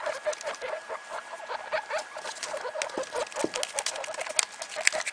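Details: Three one-day-old newborn guinea pig pups with their mother Sheba Mini Yak, a rapid patter of high, short squeaks and chirps with rustling movement throughout.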